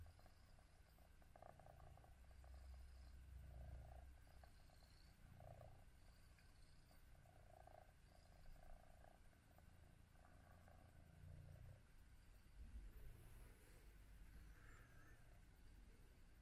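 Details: Domestic cats at home, an adult grooming a British Shorthair kitten named Prince, with Tom and Mimi also present: a soft, low rumbling purr-like pulsing runs steadily under a faint background hiss.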